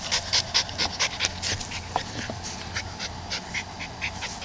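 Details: Panting from a Keeshond parent while playing with the puppies: quick breathy huffs, a little over two per second, loud at first and then steadier, with faint scuffling underneath.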